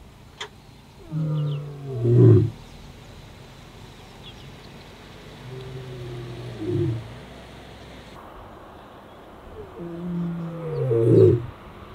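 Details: Lion moans in the Sweni area southwest of Satara, where white male Casper of the Shishangaan coalition answered roars of the rival Mayambula coalition; three low, falling, drawn-out moans spaced a few seconds apart over a quiet background.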